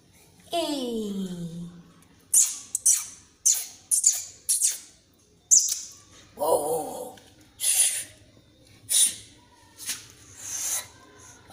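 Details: Frightened kitten hissing at the person filming it: a short falling meow-like cry opens, then about a dozen sharp, breathy hisses follow one after another at roughly one-second intervals in a small indoor room.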